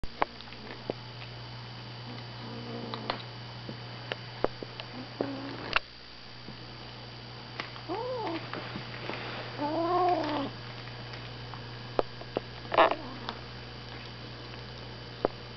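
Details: A six-week-old Savannah kitten, getting its first taste of meat, growls in low, drawn-out moaning bursts while guarding its food.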